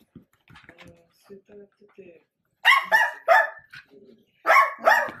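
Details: Sausage dog of the Dachshund breed barks in loud bursts: three rapid harsh barks, a short pause with soft low sounds, then two more strong barks close together.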